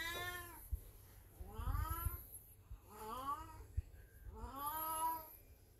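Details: Elderly black cat Beni, in heat at home, gives four plaintive meows that rise then fall, each about a second long, with faint low background noise.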